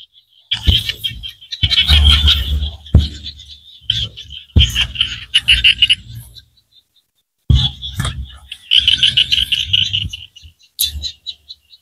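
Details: Small frogs from Cambodian rice-field countryside give bursts of rapid, buzzy, rattling pulses lasting one to two seconds each, separated by short silences, with some low knocking in the bursts.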